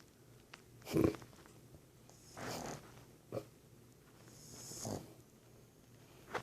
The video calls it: Boston terrier snoring